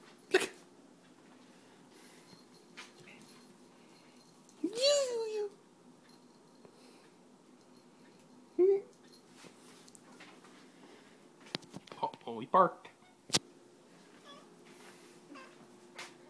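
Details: Pet cat talking to a moth indoors: a drawn-out, bending meow near five seconds, then a brief chirp around nine seconds, followed by scattered short squeaks, with a person's voice and household clatter between calls.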